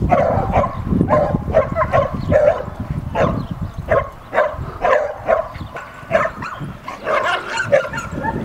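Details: Samoyed female defending her brother against another dog: insistent, clipped barks fired in an uneven volley about twice a second, some doubled, over a faint low rumble.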